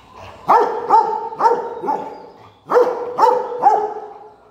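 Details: Playing with a stone, a Rottweiler lets out two bursts of barking, four then three sharp barks each, with a short quiet gap between the bursts.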